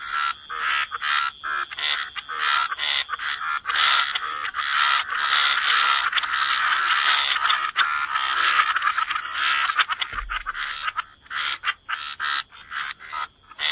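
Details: A chorus of croaking frogs near water, many raspy mid-pitched calls merging into a near-continuous wash, briefly thinning then building again, with a thin steady high insect tone throughout.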